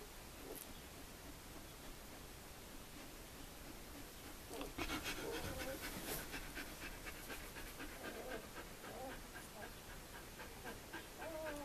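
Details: Newborn puppies of the Sweet/Elite litter, two days old, indoors. Quiet at first, then rapid rhythmic breathy panting takes over midway, with thin wavering whines and squeaks rising above it near the close.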